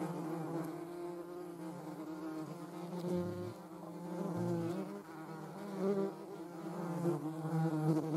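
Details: Flight buzz of a European hornet, seen together with a median wasp: a steady, fairly quiet low drone with many harmonics running throughout, pitch wavering slightly, over faint background hiss.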